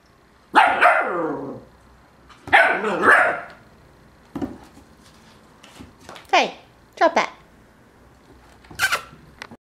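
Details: Dog barking at another animal; two loud, harsh barks near the start, then shorter sharper barks and yips spaced a second or two apart, with a person's voice heard nearby.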